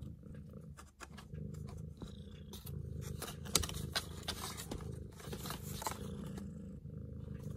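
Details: Long-legged Munchkin cat purring: a continuous low, rough rumble with a steady pulsing rhythm through the whole recording, overlaid by scattered soft clicks and brief rustling noises.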